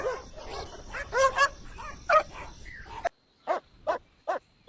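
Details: Puppies drinking milk outdoors on a meadow make a string of squeaky whining barks with wavering tones, then four short, clean yaps about half a second apart.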